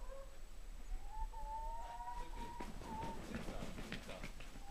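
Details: Shy house cat, in Poland for only a month, meowing indoors: a drawn-out, level, tonal mew that holds steady for over a second, then a shorter second mew, with people chatting in the background.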